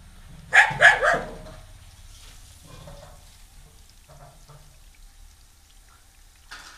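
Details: A female dog objects to a newly arrived stray puppy at home with three fast, strained barks in under a second. Near silence and faint rustling follow, with a soft sound at the end.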